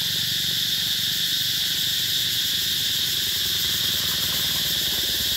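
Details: Summer cicada chorus at Mỹ Luông, a rural eco-tourism spot, in 2021. An unbroken, piercing electric-sounding drone stays level throughout, bright and sizzling, with nothing else standing out.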